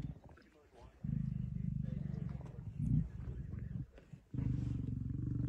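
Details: Lions feeding on a buffalo kill, 26 September 2023, including a male: two long, low, rumbling growls, the first lasting about three seconds, the second starting near the end, with quiet talk in the background.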